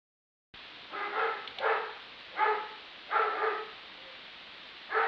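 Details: A neighbour's dog barks repeatedly in short, rough, harmonic bursts, about one bark a second, 63 barks in a single minute.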